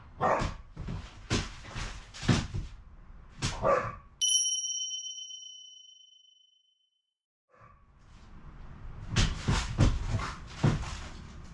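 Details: Excited barking from two former rescue brindle Akitas, a male of about six and a female of about five, welcoming their owner home. Rapid, overlapping barks break off for a bright ringing chime and brief silence, then resume in a dense burst.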